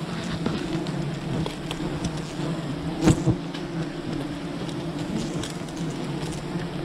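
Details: Wild bees droning steadily while honey is gathered from their colony, the low layered hum interrupted around the middle by a loud sharp knock.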